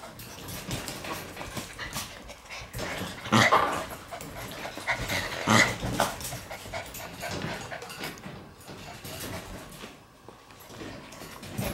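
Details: Shiba Inu puppies crowding toward the camera; soft whimpering and snuffling noises with a couple of louder broadband bursts near the middle, over steady background hiss.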